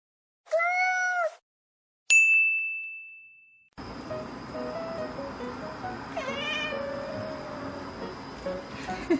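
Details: Affectionate pet cat, one of two very people-friendly cats, gives a clear rising-falling meow near the start, then a metallic ding; afterwards a softer meow over background room noise and a person calling the cat.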